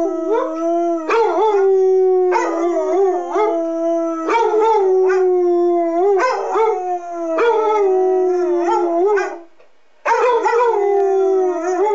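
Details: Two pet basset hounds, Walter, a 6-year-old tri-color, and Freckles, an 8-year-old tan and white, howl along with monthly public address siren tests: loud, sustained overlapping howls with wavering pitch, breaking and restarting every second or two, brief pause near the end.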